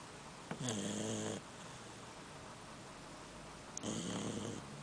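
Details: Female Labrador Retriever snoring while asleep, two long rough breaths of just under a second each, separated by a quiet gap of about two and a half seconds. A low steady hum and buzzy overtones run through each breath.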